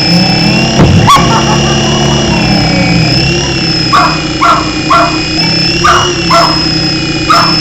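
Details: Lucy, a female Jack Russell Terrier kept as a family pet, chasing a beeping RC helicopter to play: six short, sharp barks in the last four seconds, spaced about half a second to a second apart, over the toy's steady high whine.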